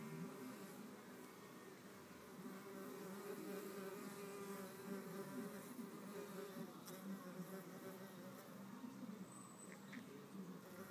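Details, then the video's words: Red mason bees pushing and biting in a contest over a nest hole; their buzzing drones low and continuous, pulsing slightly in loudness and pitch, with a faint high chirp near the end. "Red mason bees-the fight"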